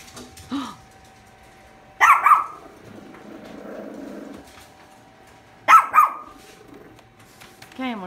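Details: A Shih Tzu gives sharp, high barks in short bursts at pictures of dogs on a calendar, with a woman talking between them.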